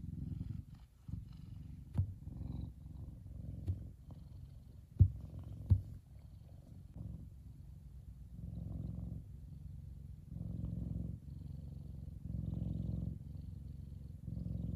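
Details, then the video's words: Relaxed F2 Savannah cat Kumba purring in the sun; low rumbling purr with scattered small clicks and taps early on, then steady breathing-paced swells. "Big Savannah Cat Relaxing And Purring."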